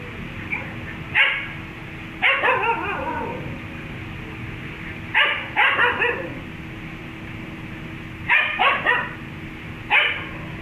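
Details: Dog encountering a cat, barking in short clusters of one to three sharp, bright barks roughly every two to three seconds, some trailing into brief whiny tails, against a steady low hum.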